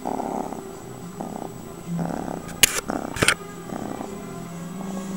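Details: Close-range purring from a pet cat, a continuous low buzzing rumble pulsing with each breath roughly every second, interrupted by two sharp clicks near the middle.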